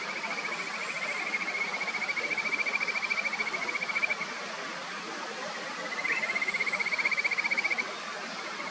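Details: Kajika frogs at a clear mountain stream on the upper Natori River, Sendai, Japan: two long, high, rapidly pulsed trills of about three and two seconds, separated by a brief pause, over constant flowing-water noise.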